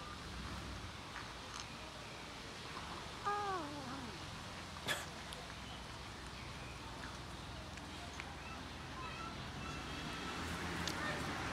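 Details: Hungry cat sitting and waiting for its owner gives one drawn-out, falling meow partway through, with a second faint call near the end; a sharp click sounds in between over a low, steady background hiss.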